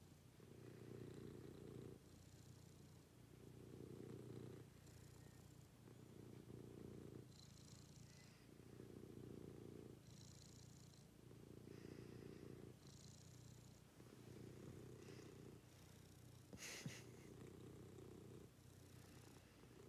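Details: Cat purring contentedly in the morning, a continuous deep rumble rising and falling in regular breath cycles roughly every two and a half seconds, with one sharp click near the end.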